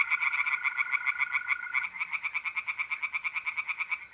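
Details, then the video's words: Dense, rapid pulsing of tree frogs singing by a pond at night in mid-April, North-East Italy, with a steady mole cricket trill that fades partway through as the frog pulses carry on. "singing tree frogs in pond"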